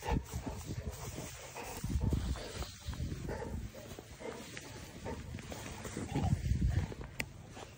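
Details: Golden Retriever panting during morning ball play, heard as loud, breathy, noisy bursts with deep low rumbling, strongest around two and six seconds, over steady outdoor background noise.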